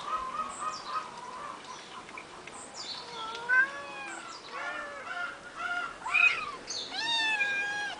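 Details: Three eight-week-old kittens on a finca, recorded 11 May 2011, give many short, high, rising-then-falling mews that overlap and come faster and louder in the second half, after a quieter start.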